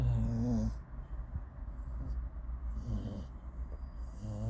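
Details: Dog snoring in a car: low rumbling snores with a wavering nasal tone at the start and end, soft breathing between, over steady low vehicle hum.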